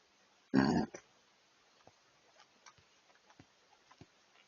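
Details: Bull elk close up, giving a single short, loud, rough burp of under half a second, followed by faint scattered ticks and rustles.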